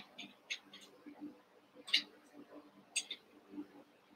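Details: Cavalier King Charles Spaniel puppies, Daisy's six litter merged with Robin's two pups, playing together indoors; short high squeaks come in scattered bursts, three louder ones standing out, over a low steady room hum.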